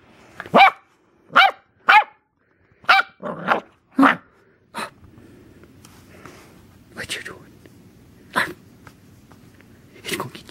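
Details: Corgi puppy barking at a camera it wants to attack: a run of sharp, high barks roughly every half second, then quieter whining yaps and a few later barks, with human speech in between.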